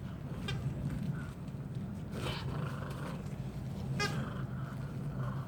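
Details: Two poodle siblings, a brother and sister, playing tug together. Three short, high, harmonic yips sound at spaced intervals over a steady low hum.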